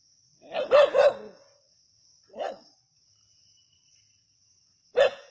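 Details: A snake hunt by native dogs at Keezhadi: a quick double bark, then single barks about two seconds and four seconds later. A constant shrill insect hum runs underneath.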